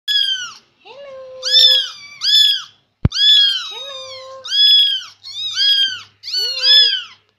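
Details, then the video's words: A chatty Persian kitten meows while following its owner around indoors: a rapid string of about nine loud, high, arched meows, each rising then falling in pitch and spaced under a second apart, with one sharp click midway. "Anak kucing persia cerewet+ngekor truss"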